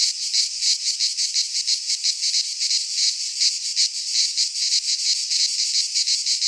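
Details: Cicadas in midsummer, Greek pine forest: an unbroken, sizzling high buzz pulsing roughly three times a second, strong and even, nothing else audible.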